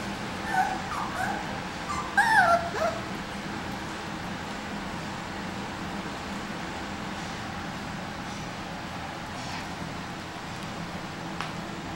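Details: Micro Mini Goldendoodle puppies almost eight weeks old, born 4/17/14, whimpering: a few thin, wavering high whines early on, then a louder rising-and-falling cluster around two seconds, followed by steady low background hum.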